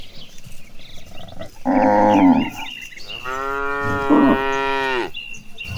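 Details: While cattle are herded toward green pasture, one short moo is followed by a long, steady, strongly toned moo lasting about two seconds, against a backdrop of chirping birds.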